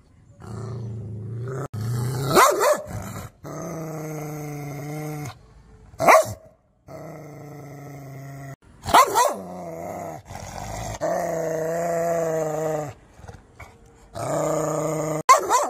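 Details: Angry dog sustaining deep, droning growls, broken every few seconds by sudden sharp barks. The growls resume after each bark, with short gaps of quiet.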